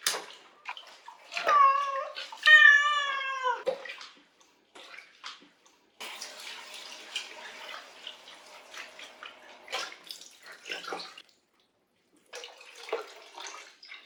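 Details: Cat meowing during a bath. Two loud, drawn-out, wavering meows come early, followed by splashing and trickling water, a few faint short mews and quiet pauses.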